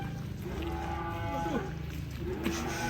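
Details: A giant Pegon cow kept in a pen gives a short, low moo with bending tones, two brief calls rising and falling over a steady background hum.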